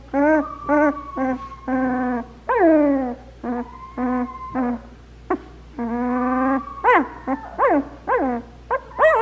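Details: Black Labrador Retriever puppies, two weeks old and taking their first steps, make a busy run of whines and squeaks. Some calls overlap, and they turn into sharper, rising yelps near the end, over a low background hum.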